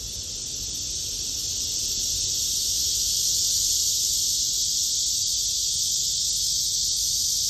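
A blackish cicada gives a loud, unbroken, hissing buzz that swells slightly and holds steady.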